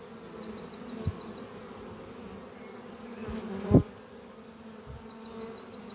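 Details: Spring-morning flight of honey bees at the beehive Doppio, whose workers carry pollen home. A low steady buzz fills the clip, with a brief knock around the middle and two short rattling bird trills, one at each end.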